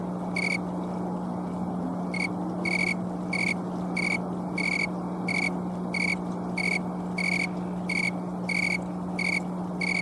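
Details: Green tree cricket (Oecanthus fultoni, snowy tree cricket) singing from trees/shrubs on an October afternoon in Colorado, late in season: clear, high, pure-toned chirps repeated steadily about every two-thirds of a second, made with its wings.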